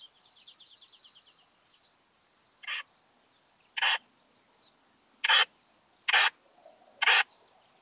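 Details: Western saddle bush-cricket at Bollenberg, France, on 9 October 2022: short, harsh broadband chirps repeated at irregular intervals of roughly one second. A faint, rapidly pulsed higher trill sounds during the first second.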